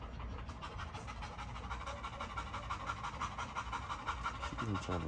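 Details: Great Dane panting in quick, steady breathy pulses, roughly three breaths a second, with a man talking close by over the rhythmic huffing.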